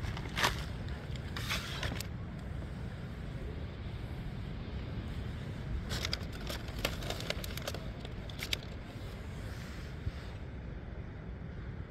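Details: Outdoor traffic rumble with a passing car and scattered sharp clicks and jangles, with no animal voice.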